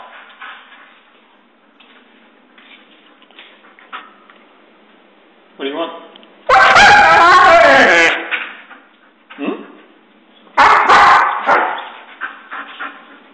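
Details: Spot, a Husky, whines and 'talks' after the owner gets home from work, eager for a walk; two loud, drawn-out wavering harmonic bursts rise and fall, preceded by quieter scattered sounds and shuffling.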